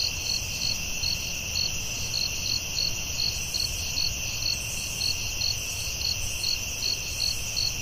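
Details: Forest crickets at night keep up a sustained high-pitched buzzing drone, topped by sharp pulsed chirps at roughly two per second, steady throughout against a soft low background hiss.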